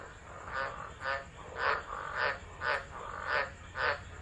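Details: Frogs calling in a tropical storm at Driver, Northern Territory, Australia, 13 December 2013, phone recording: separate bright croaks repeated about every half second, each short and rasping, over a low rumbling background.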